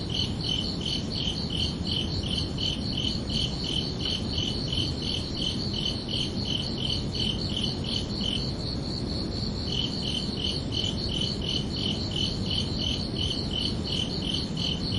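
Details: Several crickets call at night in summer, their rapid high chirps overlapping into a dense pulsing trill. One caller briefly drops out midway and then resumes, while a constant low rumble fills the background.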